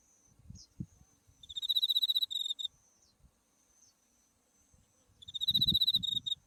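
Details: Insect voice of autumn from a buckwheat field in white bloom on a field path near Mount Tsukuba: two high, sharply pulsed metallic trills about three seconds apart, each roughly a second long, with faint low rustling between.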